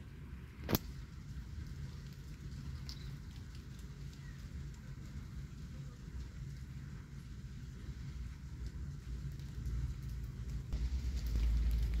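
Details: Steady rain and a low traffic rumble continue throughout, with a single sharp tap early on and no animal voice.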